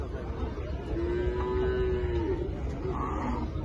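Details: Local deshi cattle offered for the 2025 Qurbani at a livestock market in Nilphamari, Bangladesh; one steady, slightly arching low moo lasting about a second, under constant market crowd murmur.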